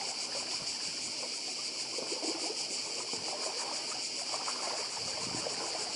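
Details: Cicadas buzzing on the Croatian island of Badija: a dense, unbroken high-pitched rasp with rapid pulses, backed by lapping seawater.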